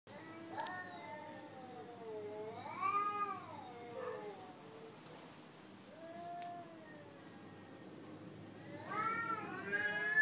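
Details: Recorded domestic cat meowing played back to a Bangkaew dog to test whether it reacts and can tell the sound apart: several drawn-out, wavering meows that rise then fall, some long and whining, with quieter gaps and faint background noise.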